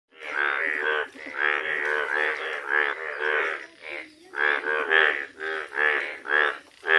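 Frogs croak in a steady run of nasal, rasping notes, each about half a second long.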